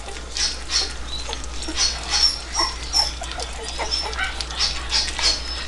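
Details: Three-week-old puppies at their first meal give brief, thin high squeaks, scattered and overlapping, over steady lapping and slurping of food, with a low hum underneath.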